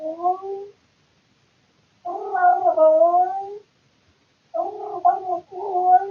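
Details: A bored tomcat making weird noises in the middle of the night, recorded indoors by a surveillance camera. Three warbling, gargled yowls; the middle one is the longest, at about one and a half seconds, and the last breaks into two parts.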